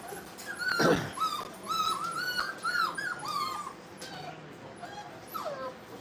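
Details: Brittany puppies at playtime in a training kennel, giving high, arching whimpers and yips around one to two kilohertz with a rough scuffle near the start; faint background noise and a low steady hum.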